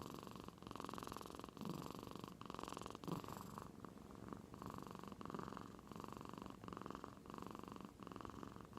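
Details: Soundly sleeping domestic cat in Aichi Prefecture, Japan, snoring like an old man; a steady low purring rumble pulses with each inhale and exhale, at first mistaken for purring.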